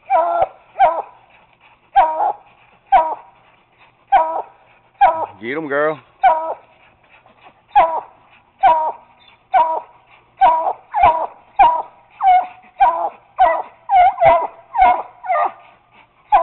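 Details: Treeing Walker Coonhound pup treeing on a caged raccoon, later joined by a Bluetick named Bobbi; loud, evenly spaced barks and bawls roughly every half second, with one drawn-out wavering howl near six seconds and a person urging the dog on.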